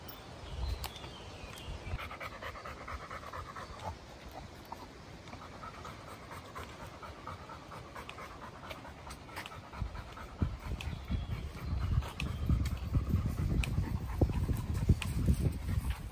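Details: Chocolate Labrador Retriever on a walk in Goltho Wood, panting in quick, uneven breaths about twice a second, with low rumbling wind or handling noise growing louder toward the end.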